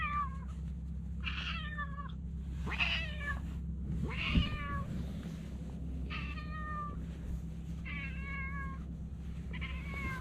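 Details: Talkative stray cat chattering as it is petted: about six short meows, some rising and some falling, in a quick irregular series over a constant low hum.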